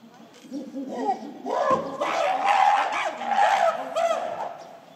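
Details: Gorillas of the Shabani Group at breakfast, December 2023: female Nene screams while chasing silverback Shabani, her son Kiyomasa joining in. Wavering, harsh, high screams start quietly, then swell into loud overlapping cries from about 1.5 seconds before fading near the end.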